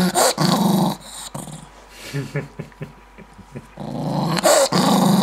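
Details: Angry Maltese dog indoors, growling and snapping fast; low rasping growl bursts at start and end, with short snaps between and a woman scolding in Arabic.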